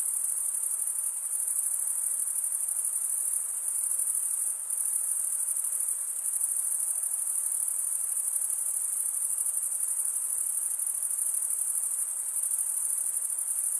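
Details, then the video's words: Crickets stridulating in a steady, unbroken high-pitched trill, a dense continuous shimmer with no gaps and a faint hiss beneath, no other animals heard. "Most relaxing cricket sound for 8 hours"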